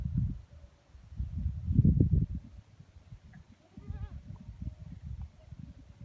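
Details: Sirohi goat on a goat farm in Rajasthan, India, giving a single short wavering bleat midway through, partly masked by heavy low rumbling handling and wind noise.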